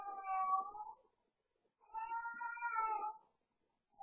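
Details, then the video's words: House cat at night, playing and yowling at bedtime: two long, mournful, wavering cries, the second rising then sliding down over more than a second, separated by a brief silence, in a quiet room. "Cat yowling and playing"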